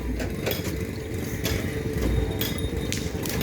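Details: Loud rumbling engine and crowd noise fill an outdoor bull-racing event, with no animal call heard.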